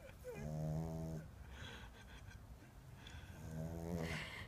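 A sleeping Boston Terrier puppy snores, each breath a low, buzzy rattle lasting about a second. Two long snores come a few seconds apart, with a soft, noisy exhale between them.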